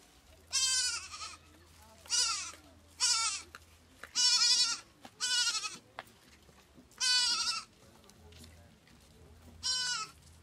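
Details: Goat kid in Kampala, Uganda, calling for its mother to be fed or when it feels alone; repeated harmonic bleats, about seven wavering cries each lasting under a second, spaced one to two seconds apart, over a faint low hum.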